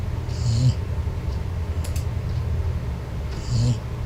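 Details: A four-month-old Golden Retriever puppy snores while asleep in a dark room, something it does often. A deep, low rumble runs steadily throughout, and breathy, hissing inhalations peak at about half a second and again near three and a half seconds.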